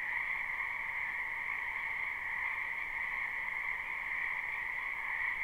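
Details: Wetland frogs in spring keep up a continuous croaking chorus in this live recording: dense, high, ringing trills fused into one steady drone, without pauses or other noticeable sounds.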